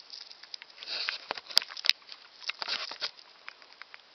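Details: An old male golden hamster, about one year old, eats with fast, irregular crunching and nibbling clicks and a couple of tiny sharp squeak-like ticks.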